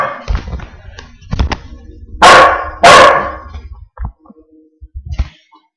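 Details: Wheaten mix dog Mr Duke confronting his reflection in a mirror indoors; a burst of loud harsh barks in the middle, surrounded by softer yips and a man's voice urging the dog on.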